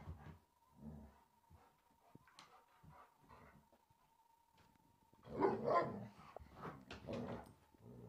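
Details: Three Alaskan Malamutes and a Springer Spaniel playing rough indoors, a rough and tumble the spaniel started: low growling grumbles in bursts, then a louder burst of snarls and yelps near the end, over a steady faint hum.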